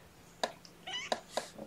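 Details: Kittens from Mama Seraphina's litter of four (three boys, one girl), transferred from a Lewis County, WA shelter to Purrfect Pals, being handled indoors at lunchtime on 2018-10-09. Three short, high, harmonic-rich mews come in quick succession within under two seconds, over quiet room hum.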